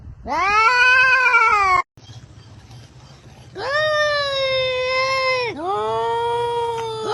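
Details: Crying cat giving long drawn-out meows, each rising then holding a steady wailing pitch before dropping, three calls separated by a quieter pause with a low background hum.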